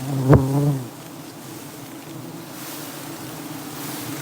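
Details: Dwarf honey bees buzzing at a wild colony in Prey Lang forest while honey is taken; a loud close buzz with layered tones passes in the first second, then a steady low hum continues underneath.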